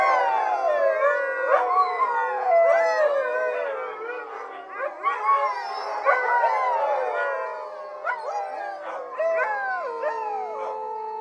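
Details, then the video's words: Chorus from a Siberian Husky team, several dogs howling at once with bending, wavering wails, interspersed with short sharp yips and quick upward-swooping cries throughout. "Siberian Husky Dog Team Howling"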